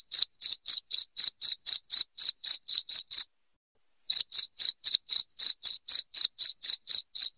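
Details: Shrill cricket chirps, a recording used to repel rats in the house. Sharp high pulses come about four per second, stop for roughly a second midway, then resume at the same pace. No other sounds.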